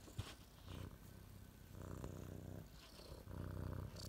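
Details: Domestic cat purring indoors: a low, throaty rumble that swells and fades in rhythmic breaths, the pulses rolling steadily for the full stretch, with faint higher scratchy rustles on top.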